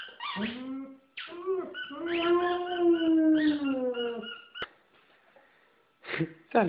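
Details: A white female German Shepherd howls at home while playing with her squeaky ball toy, a Christmas stocking gift; one long sustained, slightly wavering howl after a short yelp, then quiet and sharp squeaks, with music and a person talking.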